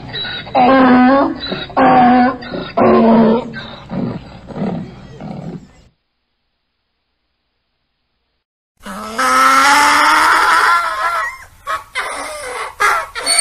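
A donkey brays in loud, harsh bursts, then a pause before another strained, rising bray.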